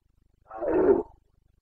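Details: Single half-second guttural roar from a Carpathian red deer stag during the September breeding season in the Bucovina mountains, Romania, 2022; rough, throaty and mid-pitched, clean silence around it.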